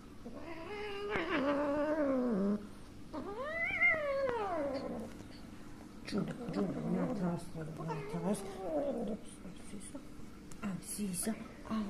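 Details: Sunia, a kitten angry and frightened after her mother cat hit her, gives drawn-out wavering yowls and rising-falling cries, then shorter broken meows, while a person talks softly to her.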